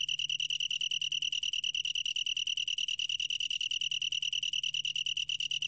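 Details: Long-tailed tree cricket giving a high, bright trill broken into fast, evenly spaced pulses, roughly three to four per second, steady and clean.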